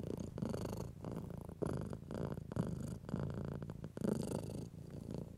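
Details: Pet cat enjoying stroking, purring in a rapid, rumbling pulse that rises and falls roughly every second with each breath, overlaid by soft fur-rubbing sounds.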